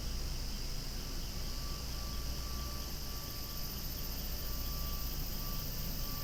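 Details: Loud cicadas buzzing continuously in an outdoor setting with flowers, a steady high-pitched drone, while an airplane passes overhead and adds a thin sustained tone and low engine rumble.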